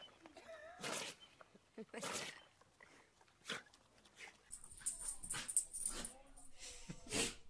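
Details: Dog sneezing repeatedly, short forceful bursts of breath with soft whimpering between them and a thin high tone in the background toward the end.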